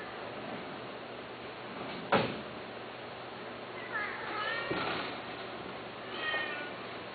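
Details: Domestic cat giving a couple of drawn-out harmonic meows near four and six seconds, with a sharp knock like a door at two seconds and a low constant hum.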